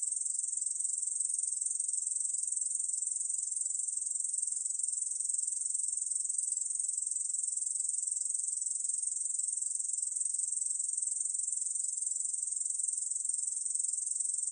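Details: High, hissing continuous trill from a Korean bush cricket (National Institute of Biological Resources, 2020), sustained evenly without breaks; no other animals or background noise.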